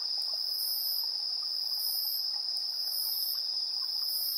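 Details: Insects chirping at 7:04 PM on 3 September 2022, recorded in high resolution on a TASCAM Portacapture X8. A steady, unbroken high trill runs beneath even higher shimmering bursts that pulse roughly every second, with no other sounds.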